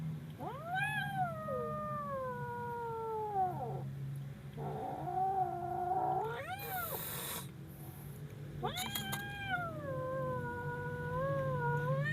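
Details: Scared kitten letting out long, drawn-out wailing yowls that swoop up and slowly slide down, three main cries across twelve seconds, with bursts of rustling and a constant low hum.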